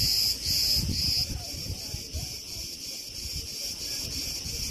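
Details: Crickets chirping at Preveli Beach in Crete, August 2020, as trees sway in the wind: a bright, shrill pulsed buzz, loudest in the opening second then easing to a softer steady hum, with gusty wind rumbling beneath.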